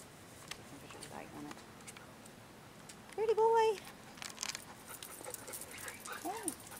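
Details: Rescued male Rottweiler: a single short, steady, tonal whine, then a brief softer whimper a few seconds later, with a person talking nearby.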